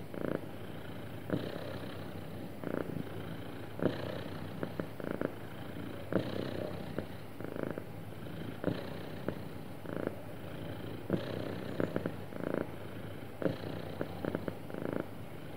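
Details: Happy domestic cat giving a long smooth purr, a deep steady rumble rising in regular pulses around every one to one and a half seconds, punctuated by quick sharp clicks.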